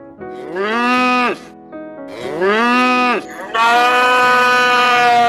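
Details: Cow mooing three times: long, rich, drawn-out moos, each swelling and then fading, the last one longest, with soft music playing in the background.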